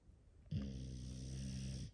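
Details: Sleeping English Bulldog, one of five kept in a house, producing a single sustained, rough, droning snore about one and a half seconds long, steady in loudness, in a quiet room.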